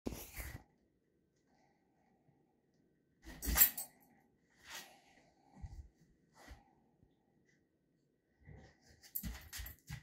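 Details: Young female German Shepherd, scared of her treats, indoors in a small room: sharp breathy huffs and snorts in short bursts separated by silence, some carrying a faint whine-like tone.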